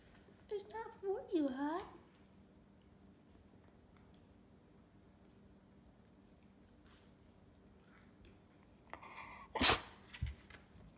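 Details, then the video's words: Hudson, a pet Cocker Spaniel indoors, makes a wavering, warbling whine-like 'talking' sound that slides up and down for about one and a half seconds, followed later by a sharp sneeze in a quiet room. "Hudson the talking cocker spaniel"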